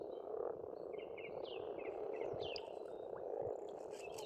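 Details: Frogs calling at a pond on a farmstead in Estonia in spring: a dense, continuous low croaking chorus fills the background while small birds add short high chirps and twittering trills above it.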